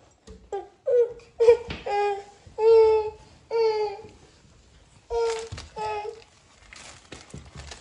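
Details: Norwegian Forest Cat indoors, greeting its owner as they come home: a run of about eight loud, drawn-out meows, each tonal and slightly falling at the end, then softer sounds in a small room.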